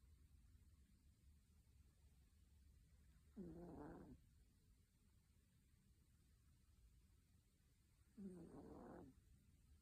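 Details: A sleeping Chihuahua snoring: two rasping, breathy snores about five seconds apart, each lasting under a second, in a quiet room with faint background hiss.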